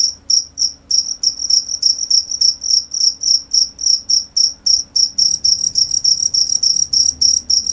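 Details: Steady cricket chirps, shrill and high, coming in quick runs of pulses about three times a second, some bursts merging together; only a soft low hum in the background.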